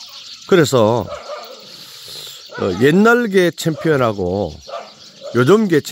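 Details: Jindo dog giving several drawn-out, wavering moan-like vocalizations that rise and then fall in pitch, separated by short pauses, with a brief opening call and a final shorter one.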